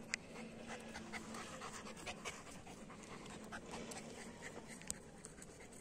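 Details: Long-haired German Shepherds Hash and Janney, a pair, breathing in quick, airy, rhythmic pants against steady broadband background noise, with occasional faint clicks.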